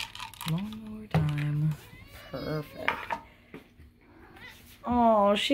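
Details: Domestic cat meowing while being fed, a high kitten-like voice; two clear harmonic meows, one near the start and one at the end, mixed with clinking dishes and cutlery and a woman's voice talking in between.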